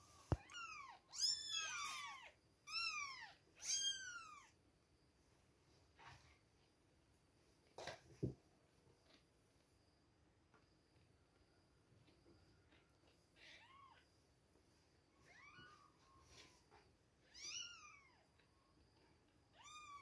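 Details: Several two-week-old kittens mew at feeding time, a cluster of high arched cries at the start, then sparse thin calls scattered across a quiet stretch with occasional clicks and rustles.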